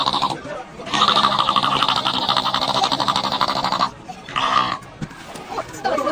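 A seal gives a long, nasal, bleating call, then a shorter second one, with people laughing nearby.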